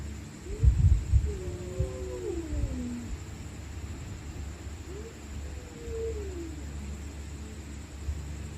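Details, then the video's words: Stray cats fighting at night, screaming and growling: several low, wavering yowls that rise and fall in pitch, with overlapping drawn-out moans and a few soft thumps early on over a steady background hum. "Stray Cats Screaming At Night||Angry Cats Growling Sound|Cats Fighting Sound|Cat Making Creepy Sound"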